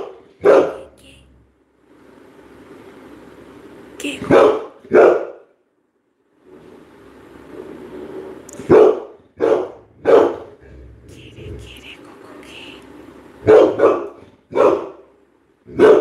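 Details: Coco, a Labrador Retriever, gives repeated loud barks, sometimes in pairs, while a person calls out and speaks in Bengali between them; soft background hum.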